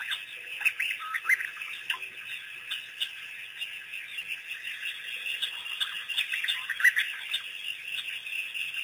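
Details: African painted dogs, a pack released by researchers on April 5, 2008, visiting Pete's Pond for the first time. Scattered bird-like squeaks and short rising chirps repeat through the clip against a constant high buzzing background.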